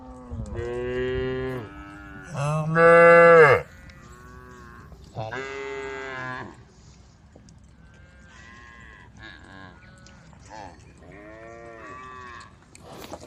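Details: Dozens of brown, white and black cows amble along a dusty country road, calling the herd. Several moos come close together early on, one especially loud. Fainter, shorter lowing calls are scattered through the rest.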